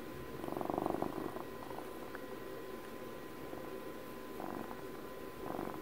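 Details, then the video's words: Pet cat Puppy, celebrating a 12th birthday, purring gently: a short strong rumbling burst at the start, then a quiet stretch, with fainter purr swells returning near the end over low room hum. "12 minutes of ASMR CAT PURRS for Puppy's 12th birthday"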